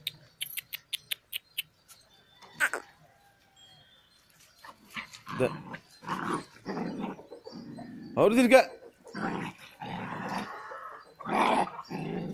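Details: Pandikona puppies playing and fighting: after a quiet start with a few quick ticks, rough buzzy growls and short yelping bursts come in uneven clusters through the second half.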